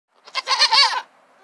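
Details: A pygmy goat (Capra hircus), in a herd of many pygmy goats with young kids, gives a short, high, wavering bleat lasting under a second.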